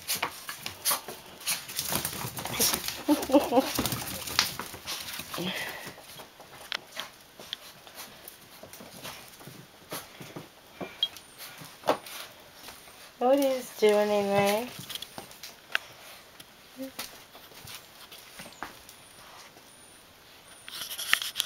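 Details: Dogs reunite in play with a black puppy freed from quarantine; a human voice is heard early on, then one drawn-out wavering whine near the thirteenth second, with a brief squeak later amid rustling movement.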